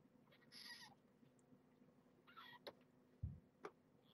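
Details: Two-week-old kittens of Marge, a rescued pregnant stray, squealing during an indoor weigh-in; two short harmonic squeals, the first longer and wavering, the second brief, with soft handling thumps between and after.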